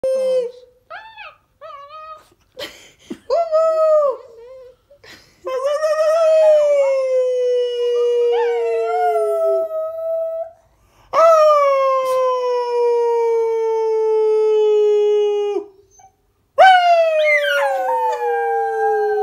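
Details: A mini pocket beagle in bed gives long, drawn-out aroo howls that start high and slowly sink in pitch.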